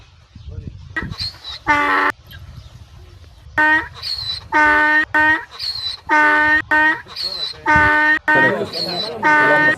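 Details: Donkey braying loudly in a series of harsh, harmonic blasts that see-saw between higher and lower notes, each burst under a second long, with a pause after the first few before the rhythmic bray resumes and continues to the end.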